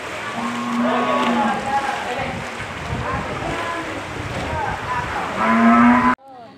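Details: Village cattle that entered a mosque during a flood in Jerengik, Sampang, give a low, steady moo near the start and another at the end, over a busy wash of voices and water-like noise.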